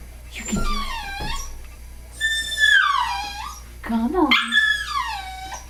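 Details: Domestic dog howling indoors: a short low wavering cry, then long high howls that rise and slide down in pitch with rich overtones, in three drawn-out bursts.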